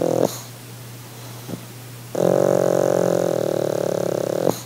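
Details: A pug relaxing on holiday, giving an over-the-top purr: a long, steady, rumbling drone with rich harmonics lasting about two and a half seconds, preceded by shorter breathy snorts in a quiet indoor setting.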